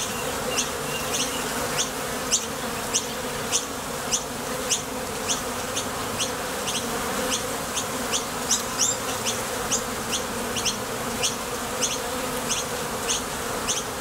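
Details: Honey bees coming and going from a Top Bar Hive in search of nectar: a dense, unbroken low buzz with rapid high clicking ticks repeating steadily throughout.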